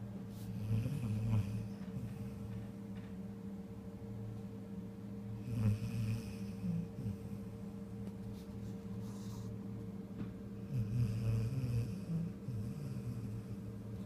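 A Vizsla snores in deep, rumbling breaths every few seconds over a steady low hum.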